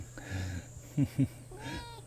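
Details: A campsite cat, described as fat and lying on its back, at a natural recreation forest campsite in Gyeonggi-do, South Korea, gives a short, faint meow among a man's speech and a steady low hum.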